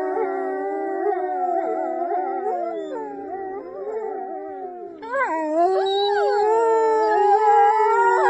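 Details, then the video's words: Huskies howl in a drawn-out, wavering chorus of overlapping voices. After a cut at about five seconds, a louder and higher howl rises and falls with a steady tone, with no other sounds. "Dogs Singing and Talking 🐶 Awesome huskies"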